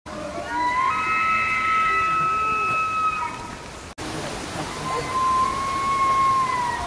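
A deer gives two long, steady, high-pitched screams, each held for about two seconds.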